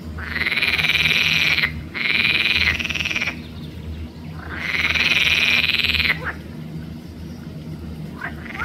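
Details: Croaking of a green frog (Pelophylax) at Arboretum Volčji Potok, 5 June 2024. Long grating rattles of one to one and a half seconds come in three bursts, followed by quieter short clicks near the end.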